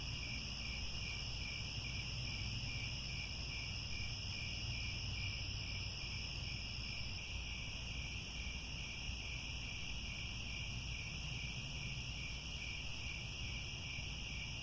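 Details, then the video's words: Evening chorus of crickets at sunset in the grasslands of Angkor Wat, Cambodia, a constant bright high shimmer with a quick beaded pulsing trill repeating throughout and a steady low rumble underneath. "The Sound of Crickets at Sunset"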